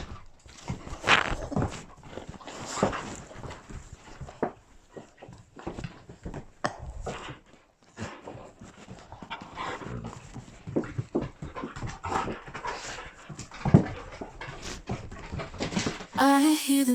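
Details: Pet puppies, Sharky among them, romping indoors: steady scuffling, pawing and brief whimpers in uneven bursts, the level swelling and dropping, then a short tonal sound, like voice or music, at the very end.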